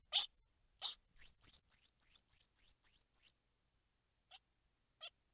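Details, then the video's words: Two hissing squeals open, then a rapid string of about nine high, rising chirps, each a quick upward sweep, followed by near silence with two faint ticks from a squirrel monkey. "Squirrel Monkey Sound | Squirrel Monkey Squeals | Squirrel Monkey Noises | Squirrel Monkey Chirps"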